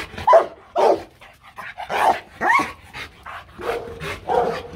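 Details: Rottweiler, a young dog being trained for fun to bark on command, giving several short barks and yelps about a second apart, mixed with a person's voice and laughter.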